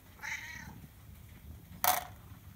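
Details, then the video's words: Pet Siamese cat in conversation with its owner indoors gives one clear, slightly falling meow lasting about half a second, followed by a brief sharp click. "Talking Cat, CoCo Part 3 おしゃべり猫 ココちゃん その３"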